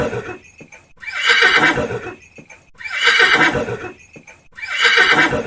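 A horse whinnies loudly, a shrill, quavering neigh repeated about every two seconds.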